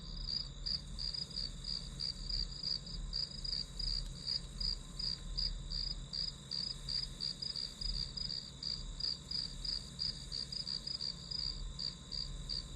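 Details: Steady grass insect song for studying: crisp high chirps repeating about three times per second, evenly paced throughout, over an unbroken piercing tone and faint low hum.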